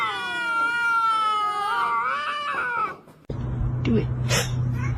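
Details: A kitten's long drawn-out crying meow, rich in harmonics and slightly wavering, lasting about three seconds before a low hum and a person's voice take over.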